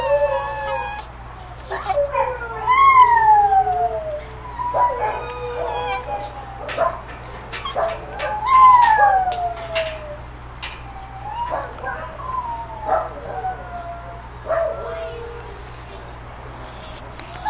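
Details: Male Beagle/Pug mix, two years old, kenneled and wanting out, lets out repeated drawn-out howling whines that slide downward, separated by short pauses, over a constant low electrical hum.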